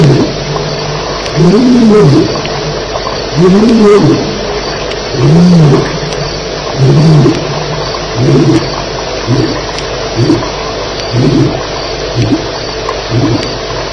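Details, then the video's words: Lions roaring at Elephant Plains during a night fight on July 9, 2010, around 2:11am: a series of deep, moaning roars rising and falling, spaced about two seconds apart and fading into shorter grunts, over steady background hiss. "Lions Fighting - Sounds at Elephant Plains"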